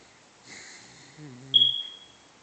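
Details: A sleeping Corgi, apparently dreaming, snuffles, then gives a low, wavering whimper and a thin, high squeak.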